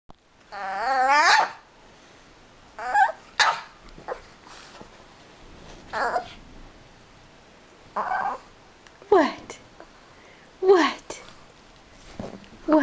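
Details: Dog whining to be picked up: one long quavering, wavering whine at the start, then shorter rising and falling whimpers every second or two, with a person talking softly in between.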